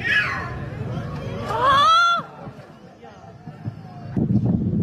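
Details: A splashed cat asking for help gives a single loud, tonal meow that rises and then falls over about half a second, set against a murmur of voices and background chatter.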